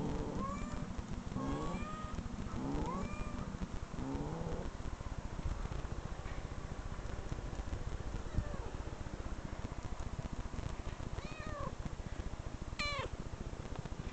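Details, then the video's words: Domestic cat meows played back from online videos to a dog named Sakari. A run of arched, rising-then-falling meows fills the first four seconds, and a few more come near the end, all over a steady low rumble. "cat meow"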